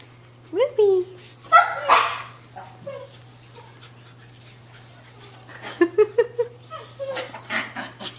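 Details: Playful long-coat Chihuahua puppies Emerald and Ruby, two females, romping together indoors, giving short high yelps and squeaky little barks in quick bursts, with scuffling and a woman talking to them throughout.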